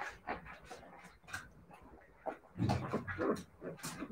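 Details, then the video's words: Siberian Husky puppies making rapid, irregular bursts of whining and yelping, several overlapping, with soft panting-like breaths and a louder cluster of rough yelps toward the end. "siberian husky puppies"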